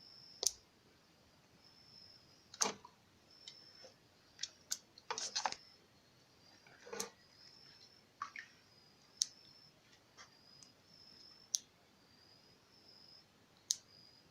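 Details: Opossum, said to be calling his kind as he gets ready to leave, giving sharp dry clicks scattered irregularly, about a dozen over fourteen seconds, some in quick clusters, against a faint steady high whine indoors.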